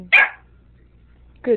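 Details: A single sharp, bright bark from Tobi the dog during his standoff with a sriracha bottle, then a pause and a shorter, lower, tonal yelp at the end.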